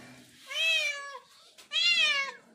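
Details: Domestic cat, a mother moving her five kittens out of a shelter home, gives two loud, drawn-out meows, each rising then falling, separated by a short pause, indoors in a small room with faint human voices.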